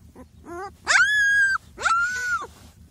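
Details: Kangal puppies handled by people; high, drawn-out whines with rich overtones, a few short yelps, then two long level cries, each sliding down at the end.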